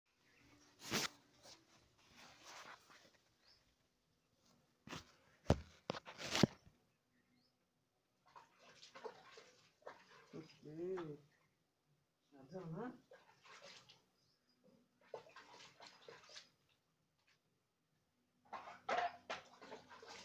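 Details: Two-month-old female Rottweiler puppy getting her first bath indoors, giving short, wavering, whiny whimpers between bursts of splashing and dripping water, with scattered knocks and rustles in a small room.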